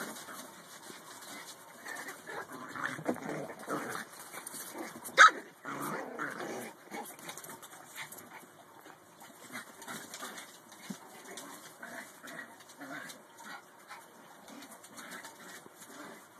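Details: Small pet dogs play fighting over an empty box: scattered low growls and scuffling, with one sharp yip near the middle and quieter rustling and grumbles throughout.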